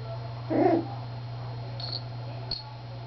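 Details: Three-week-old Miniature Schnauzer puppies at play; a single short, harmonic whimpering yelp rises and fades within a quarter second, then faint high squeaks follow over a steady low hum.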